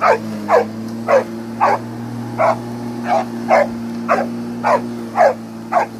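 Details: A boxer dog barks at a lawn mower: short, sharp bursts about twice a second over the steady drone of the engine.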